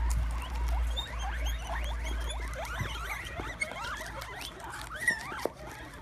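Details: Several excited guinea pigs crowd around a plate of sprouts, squealing with glee while eating. Rapid, overlapping rising and falling whistled squeaks come in a busy stream, some sharply upswept, over a low rumbling background and patter of munching.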